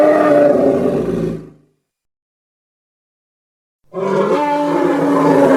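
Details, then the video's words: Elephant calls in two bursts: a rough, brassy roar lasting about a second and a half, a two-second silence, then another harsh, trumpeting roar with a steady tonal core. "Elephant Sound Effects"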